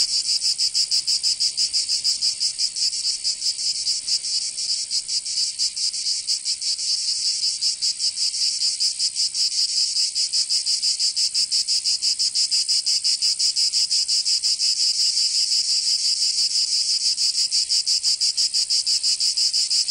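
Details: Cicadas of southern France's Provence in summer: an unbroken, piercing buzzy drone rippling with rapid pulses near three per second, holding a constant loud level for the whole stretch.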